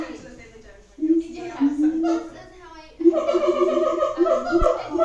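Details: Siamangs in Auckland Zoo produce drawn-out hooting tones, first a single sliding note, then a loud steady run of stacked, slightly pulsing hoots. A sharp click sounds near the end.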